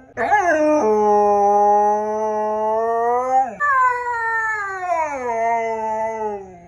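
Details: Indoor Siberian Husky protesting at being brought in after a walk, giving two drawn-out howls: the first rises sharply then levels off and breaks at the end, the second starts high and slides slowly downward.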